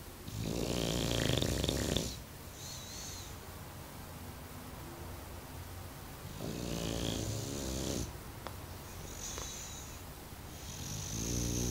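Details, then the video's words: Mario the bulldog snoring in deep sleep: loud, harsh, rattling snores lasting one to two seconds, spaced several seconds apart, with quieter wheezy breaths between them. "Funny Bulldog Snoring"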